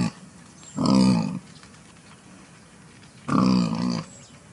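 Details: Wild boar in a clearing near the forest: two deep, harsh, growling grunts, each under a second long and about two and a half seconds apart, over quiet background hiss.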